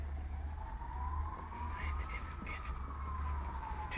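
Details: A wailing siren slowly rises and falls over a steady low vehicle rumble, with no animal voice heard.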